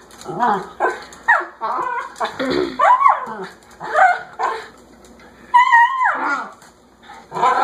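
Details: Pet dog that wants to go outside, giving a run of short high yaps mixed with whiny, rising and falling cries, bursts coming every half second or so with brief pauses; faint voices may be underneath.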